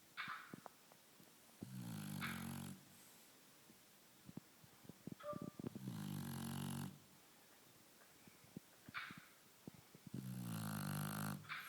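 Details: A sleeping lilac Shar Pei snores indoors, each breath a low rumbling rasp lasting about a second, repeated roughly every four seconds, with soft clicks and faint rustling between breaths.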